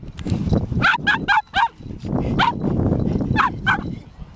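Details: Chip, a Border Terrier, playing with a twig that had dropped on the ground in Kasai Seaside Park, gives sharp, high yapping barks in quick clusters of two to four over a steady low rumble of background noise.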